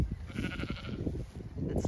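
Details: Zwartbles lamb, lame and treated for scald, in a sunny field of ewes and lambs on a regenerative farm in County Kilkenny, Ireland, with a cool breeze: a brief, wavering, nasal bleat over a man's nearby talking and low rumble.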